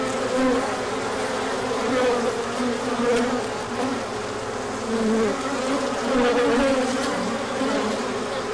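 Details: Honeybee colony taking a large orientation flight once the sun emerges after a cold period: steady mass humming, punctuated every second or two by a close bee's buzz sweeping up or down in pitch.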